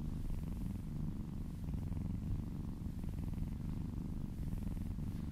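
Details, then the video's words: Kitten purring under gentle massage, a close, dense low purr pulsing evenly with breath, soft faint rustles, otherwise quiet room. "Cat massage ASMR - Purring kittens ASMR"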